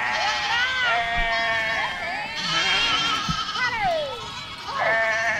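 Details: Goats in a flock moving through a village: loud quavering bleats overlap, with a long descending cry near four seconds and a fresh sharp bleat just before the end, plus faint knocks.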